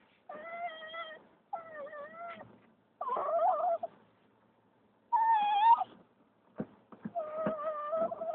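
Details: Female dog, a rescue from the streets of Turkey, crying with excitement as the car arrives home: high, tonal whines with rich overtones, held about a second each, some wavering or rising, in five bursts separated by short pauses.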